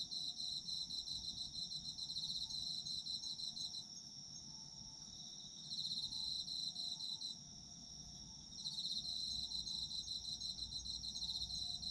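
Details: Night chorus of autumn insects for sleep: rapid high trilling pulses that stop and restart several times over twelve seconds, a thin sustained ringing tone beneath, plus a faint lower whistle-like tone early on.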